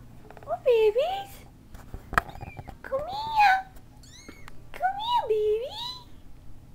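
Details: Cat mewing indoors, where kittens are with their mother: three drawn-out, bending meows, each dipping then rising, spaced about two seconds apart, with a woman's soft talk and a sharp click between them in a small room.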